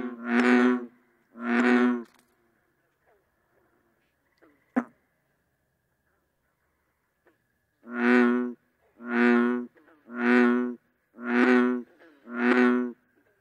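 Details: Bullfrog calling in a low, buzzy, moaning drone. Two croaks open the sequence, followed by a quiet gap with a sharp tap, then five evenly spaced croaks roughly one per second.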